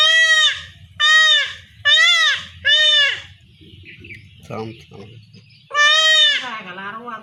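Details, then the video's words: Village goat kid in Bangladesh crying out during home castration: four quick strained bleats in a row, a pause filled with men's voices and low rustling, then one more long wavering bleat. "গ্রামে ছাগলকে খাসি করার পদ্ধতি"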